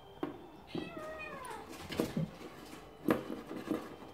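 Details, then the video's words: Cornish Rex kittens: a clear, drawn-out meow that slides downward in pitch, followed by soft shorter mews and light tapping sounds indoors. "Cornish rex kittens"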